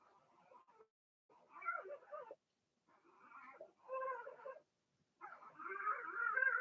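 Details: Blenheim Cavalier King Charles Spaniel puppies from Remy's first litter of six, two girls and four boys born March 7–8, in an indoor puppy pen during potty training; four bursts of wavering, harmonic whimpering cries separated by short silences.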